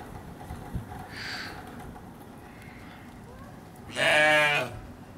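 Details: Baby sheep (lamb) at Hamura Zoo: one loud, harmonic, slightly wavering bleat of under a second near the end, preceded by a fainter, higher short call earlier; steady low background hum throughout.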